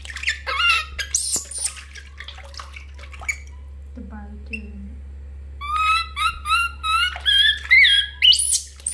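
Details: Baby monkey Lori wails while being bathed. Loud squeals open the recording, then a quiet, low human voice pauses the noise before rapid, stuttering, high-pitched cries resume and build toward the end.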